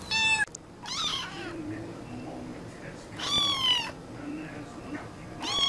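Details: Kitten giving thin, high meows, a few drawn-out and wavering, spaced about a second or two apart, with a person's soft voice between calls indoors.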